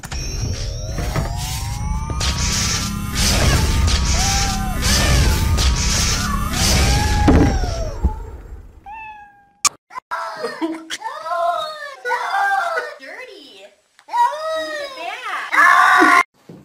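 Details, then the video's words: Domestic cat in a funny compilation; after about eight seconds of loud music, a run of short, arched, wavering meows comes in bursts, separated by brief pauses. "Cat Screaming!!!!!!!!!"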